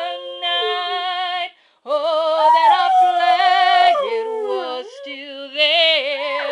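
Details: A female red Border Collie mix puppy, in heat, howls in long, wavering, tonal notes that slide up and down, "singing" a duet with her owner's singing.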